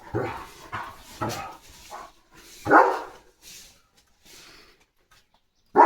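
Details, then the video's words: Guard-dog German Shepherd barking at sheep passing its gate: a quick series of short, harsh barks roughly every half second, then sparser barks with pauses, with a man speaking nearby. "German Shepherd Guard Mode ON"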